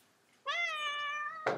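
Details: Indoor pet cat meowing to beg for more food, a single long, level, clear meow after a moment of quiet, ending with a clatter and a person speaking.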